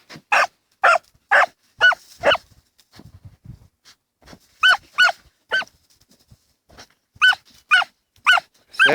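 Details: Two Dachshunds, Tasya and Kessi, digging together in a field, autumn 2015; bursts of sharp, high-pitched barks in groups of three to five, separated by short pauses with faint scuffling.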